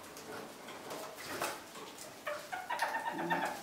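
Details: Pet kakariki parakeets feed on freshly pruned currant and blackberry branches in spring. Quiet rustling and nibbling give way to a burst of short, harmonic chattering notes in the last second and a half.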